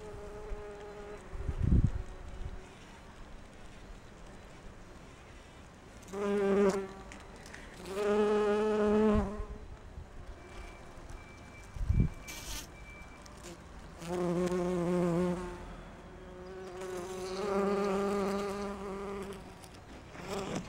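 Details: Bumblebees of one apparent kind moving among rhododendron flowers gathering pollen: several separate bouts of low, harmonic droning as bees fly close and away, between quieter stretches, with a few dull thumps.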